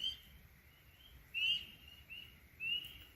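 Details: A spring peeper near a bush cabin gives short, high, clear peeps that slur slightly upward, about one every second. It is calling unusually early in spring, before the local chorus frogs.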